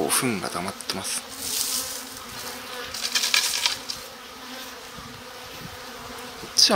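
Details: Spring colony of Japanese honey bees in a stacked-box hive while its sliding bottom board is pulled open; a bright, busy buzz rising and falling, with brief human speech at the start and end.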